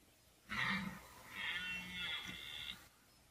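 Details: Rutting red deer in 2014, one of the belling encounters with a 14-point stag or a 12-point stag. A rough, throaty bellow starts abruptly, dips briefly, then carries on as a sustained harmonic roar lasting over two seconds.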